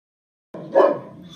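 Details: Bella, a 14-month-old mastiff, barking at her own reflection: a single deep, short bark that rises sharply and then fades into a quieter tail.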